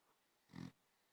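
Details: A tired Basenji puppy gives a single low, rough snore, a brief nasal rumble against quiet.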